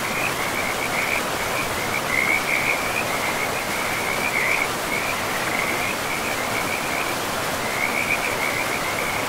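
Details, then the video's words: Frogs beside a river deep in a pristine forest of trees and moss-covered ground, a steady high trilling chorus running unbroken through the whole stretch, pulsing in short bursts, over the constant broad rush of flowing water. "River and Frogs sleep sounds"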